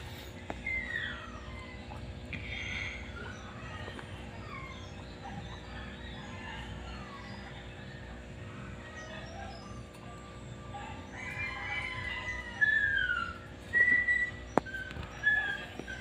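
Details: Guinea pigs in the early morning give a few short, whistled squeaks, some sliding downward, scattered sparsely and bunched toward the end over a steady low indoor hum.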